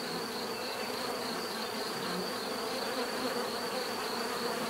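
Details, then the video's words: Many bees in natural surroundings make a dense, steady buzzing hum, layered drones around low and middle pitches holding level throughout, with a faint constant high tone above and no other animals heard. "bees therapy relaxing natural buzzing sound"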